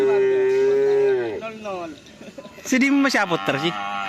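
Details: Cattle at Karapan Sapi bull race training at the Asemanis field in Pamekasan, preparing for an event after Ramadan: a steady, drawn-out tonal moo for just over a second that drops in pitch at the end, followed by voices and music.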